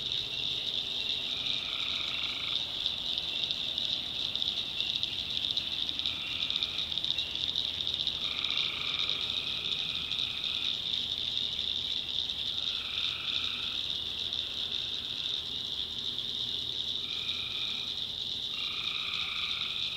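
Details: Tree frogs at night in a North Carolina backwoods swamp: repeated hoarse, droning calls of about a second each, several overlapping callers over a dense, steady high-pitched night chorus.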